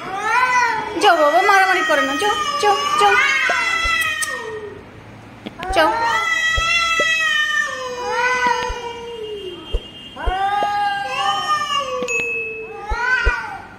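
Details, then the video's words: Territorial fight between pet cat Chhotu and a stranger cat: bursts of wavering, rising-and-falling yowls, a pause, then more drawn-out moans, with scattered sharp clicks and knocks throughout. "Our Pet Cat Chotu's Fierce quarrel with a Stranger Cat!"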